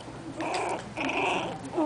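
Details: Four-week-old Miniature Pinscher puppies, little girls, give two short, rough, whiny growls, then a thin high yelp while playing.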